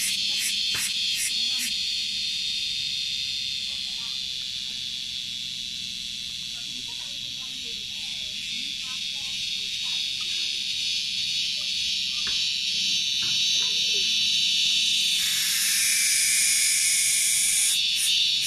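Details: An insect found on Gunung Datuk, the source of a noisy "kriuk kriuk" sound, gives a loud, steady, high-pitched buzzing drone that shifts to a brighter tone near the end.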